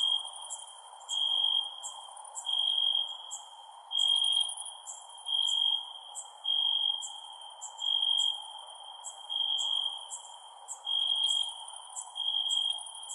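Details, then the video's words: Night-time crickets giving pulsed, high, ringing chirp bursts roughly once a second, with rapid clicking ticks above and a faint steady hiss underneath. "Cricket Sounds @ Night"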